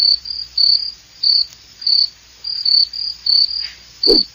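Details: Cricket chirping: high, shrill trilled bursts, each under half a second, repeating roughly twice a second at a steady pitch, with one dull thump near the end.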